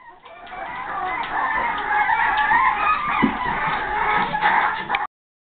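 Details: Boston Terrier pups aged five and a half weeks screaming to be released; dense overlapping piercing squeals with wavering pitch, sustained for five seconds before cutting off.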